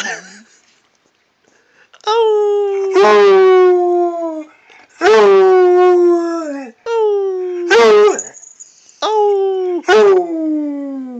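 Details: Redbone Coonhound howling at its owner: four long, loud, steady howls with rich harmonics, each lasting one to two seconds and slowly falling in pitch at the end, separated by short pauses.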